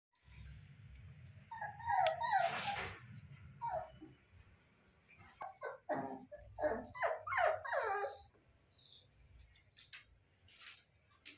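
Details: Labrador retriever puppies, male and female, indoors; a run of short high whines and yelps comes in clusters, loudest around the middle, with quiet gaps and faint low background hum.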